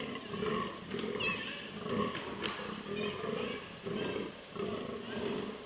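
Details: Rutting fallow bucks in southern Slovakia, autumn 2023: hoarse, belching groans come in bursts of roughly half a second, repeating in an uneven rhythm, with several deer calling together over a steady rustling background.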